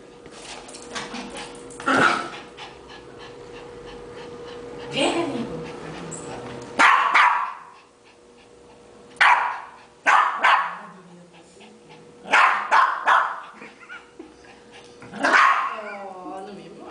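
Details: Yorkshire terrier playing ball with family members, barking in irregular loud bursts, some single and some doubled, with clicks, movement noises and a brief voice between barks and a steady background hum.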